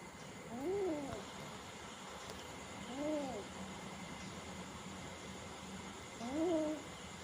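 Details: Small cat named Mini, frightened by a big cat, giving three short arched mews spaced two to three seconds apart, each rising then falling in pitch, over a steady indoor hum.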